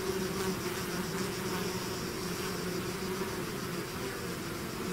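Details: Bees swarming out of their hive make a thick, unbroken droning buzz, low hum tones wavering slightly as individual insects pass, layered over a broad hiss of countless wings.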